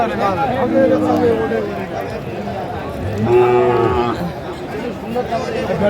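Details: Sahiwal bull calves at a cattle market, bought by a Sylhet farmer on 24 December 2024; a single low, drawn-out moo of about a second rises from steady crowd chatter and nearby speech.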